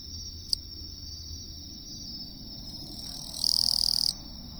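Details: In the lowland plains of western Japan, a Western Japanese katydid gives a loud, harsh buzzing burst over a steady high insect hum.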